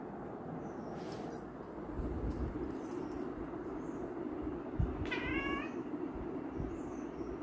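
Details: Pet cat giving a single short, slightly falling meow over a steady low rumbling background noise, with faint knocks and scrapes.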